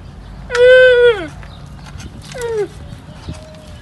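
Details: Young camel calling while its mother does not accept it: a loud, harmonic, slightly descending moan of about 0.8 seconds, followed by a shorter falling cry, with faint background noise.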